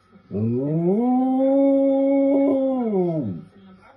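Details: Bro the Samoyed lets out a sustained howl that swoops up at the start, holds an even, rich tone for nearly three seconds, then slides down and fades.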